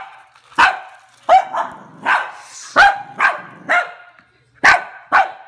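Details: A Cavalier King Charles Spaniel barks at a toy rat in sharp, high, yappy bursts, some doubled, at uneven intervals.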